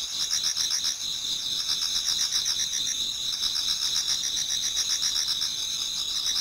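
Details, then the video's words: Many autumn insects singing together towards dawn in a Japanese garden: steady high shrill bands layered with rapid pulsed chirps repeating several times a second, a dense continuous chorus with no other sounds. "Autumn Insects voice Towards dawn"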